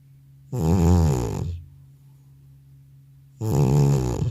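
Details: Old tomcat in deep sleep after returning from the animal hospital, filmed indoors without an external mic: two booming, rumbling snores about three seconds apart, the first swelling and fading over a second, near-silence between.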